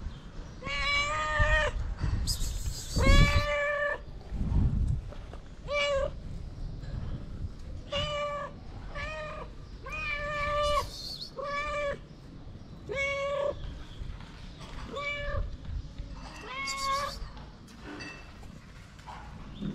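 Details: Three hungry feral cats wanting food, meowing persistently: a dense run of bright, harmonic meows, some long and drawn out, others short, roughly one every second or two, with bumps and handling noise.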